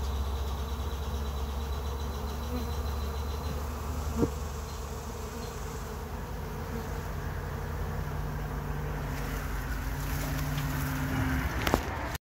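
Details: Honey bees on the first day of a hive trap-out. A continuous droning buzz holds steady throughout over a deep, constant low hum. Sharp brief clicks come near four seconds and again near twelve seconds.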